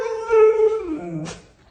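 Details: A male Siberian Husky, told he is gaining weight and must go on a diet, answers with a drawn-out, tonal howl that holds steady and then slides downward.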